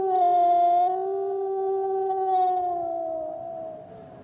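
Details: Wolf calling at night in a forest, one long sustained howl held on a steady pitch with strong harmonics, swelling slightly midway, then slowly sinking and fading toward the end.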